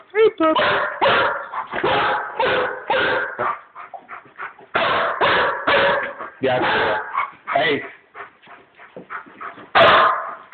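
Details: Stray Chihuahua playing indoors with the household dogs Cookie and Tequila; rapid barks come in tight bursts of three to five, broken by short pauses and softer yips, ending on one loud bark, with a human voice in between.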